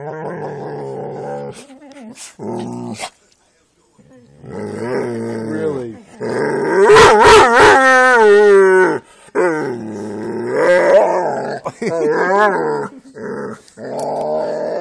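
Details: Playful growls from a Jack Russell and pit bulls at play, rumbling then rising into wavering, whiny higher-pitched yips and howl-like notes, with scuffling sounds between bursts.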